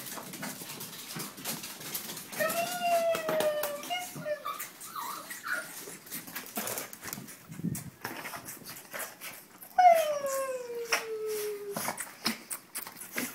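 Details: Several Chihuahuas react indoors as their owner arrives home: high, thin whines slide downward, one long drawn-out whimper near the end, with a man's voice talking and household noise around them.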